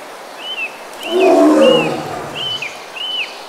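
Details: In India's Sundarbans mangroves a Bengal tiger gives one deep, grating roar of about a second, mid-clip, while birds keep up arched whistled notes that repeat roughly every half second.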